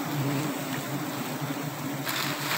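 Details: Steady humming drone of an Apis dorsata colony disturbed while honey is harvested from a small tree in March 2021, the buzz unbroken and layered, swelling slightly near the end.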